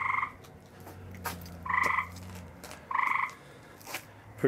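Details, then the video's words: Tree frog calling at night, one animal filmed close by: three loud, nasal, pulsed croaks, each about half a second long and roughly one second apart, with a low steady hum and faint clicks in the background. "Tree frogs are musical."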